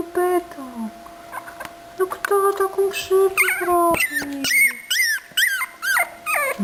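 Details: Eighteen-day-old puppy Aportos whimpers in quick, looping high yelps, some arching up and down, while a woman's soothing voice talks over the first half; other puppies of the litter are present.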